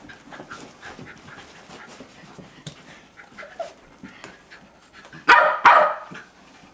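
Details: Two-year-old Jack Russell Terrier Jasper at play with Jaclyn, April 2009: steady quiet breathy panting in short rapid puffs, broken near the end by two loud sharp barks close together.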